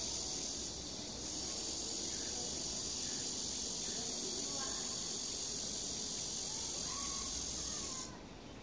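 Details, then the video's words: Cicadas singing on a summer day at Sosa park in Bucheon, Korea, beside a clear stream: a steady, dense high hissing drone that cuts off abruptly near the end, over a low rushing wash of water. "매미 소리"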